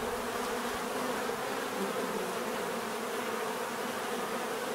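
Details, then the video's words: Constant buzzing from many bees, a thick unbroken hum holding level throughout, with faint wavering tones as individual insects drift within the swarm. "bees therapy relaxing natural buzzing sound"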